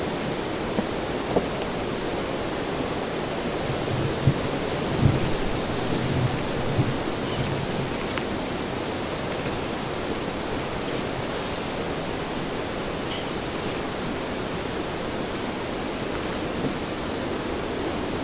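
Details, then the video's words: Cricket at nightfall with wind: dense, high chirps pulse steadily for the whole stretch, briefly pausing once, while softer gusty wind and a few low thumps fill the background. "Nightfall Cricket Windy Ambience"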